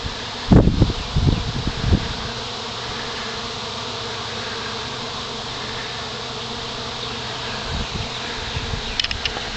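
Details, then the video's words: Honey bee swarm settling on a pine branch: a steady, dense low buzzing hum runs throughout, with a few louder thumps and rustles near the start. "Swarm Settling on Pine Branch"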